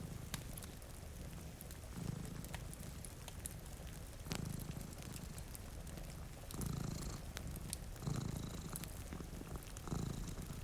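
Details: Low, throbbing cat purr in rhythmic pulses near two seconds apart, from cats dozing at a rainy window, mixed with crackling firewood snaps and a light hiss of rain.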